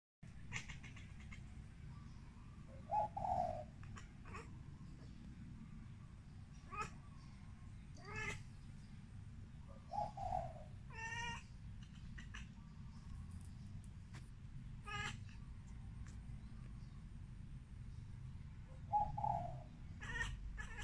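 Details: Siamese (Wichienmaat) cat exchanging calls with a bird: three short soft meows spaced several seconds apart, between scattered sharp clicks and brief chirps, over a steady low hum.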